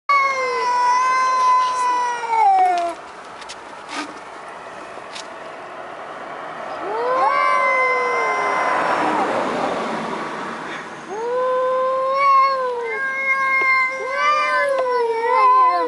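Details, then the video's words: Two fairly large male cats outdoors at night making loud, aggressive crying yowls like wailing babies before a fight; long wavering drawn-out cries around 0–3 s, 7–9 s and 11–16 s, overlapping each other, with a quieter gap between. "Cats Making Funny Noises!!!"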